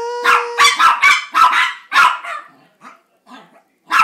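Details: Two Chihuahuas, Gracie and JakeJake, 'sing' while begging for a treat: a steady whining note gives way to a rapid burst of yappy, tonal barks and yelps, then a few softer, scattered yips.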